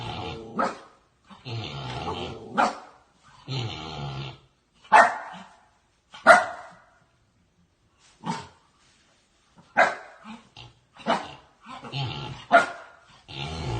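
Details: Puppy barking in short, sharp yaps spaced irregularly, about a dozen over the stretch, some in quick pairs, with brief silences between bursts.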